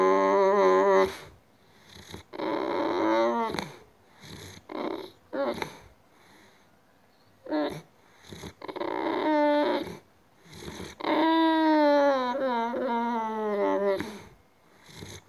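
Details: Female Boxer dog acting strangely, crying in drawn-out, wavering whines with rich harmonics, in repeated bursts separated by short pauses, the last long cry slowly falling in pitch.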